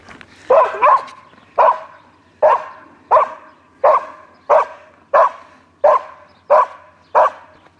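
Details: Barks from a foxhound, delivered in a steady series of about eleven short, strong woofs roughly every two-thirds of a second, the first two coming close together.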